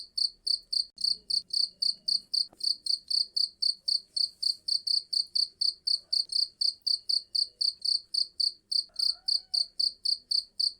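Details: Loud cricket call: a long unbroken series of sharp, high, buzzy chirps at roughly four per second, very regular, over a nearly silent background with a few soft low bumps.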